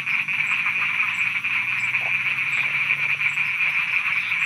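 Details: Night frog chorus in Thailand: a dense, continuous buzzing trill holding one high pitch throughout, many callers overlapping, with faint regular high insect ticks above.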